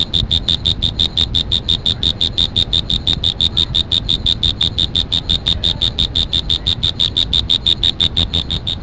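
An insect gives a fast, steady train of high, clicking chirps, several each second.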